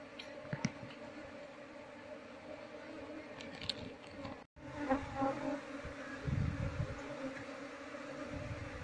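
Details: Honey bee colony being moved into a keeping box, wild bees whose queen is being sought; a steady droning hum with layered tones runs throughout, broken by a brief dropout midway and low thumps from handling.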